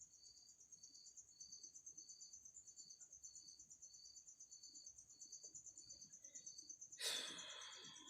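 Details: Insect trapped in a bottle inside a home, giving high, evenly pulsed chirps about three per second over a steady high-pitched whine, ending with a short loud rustling burst.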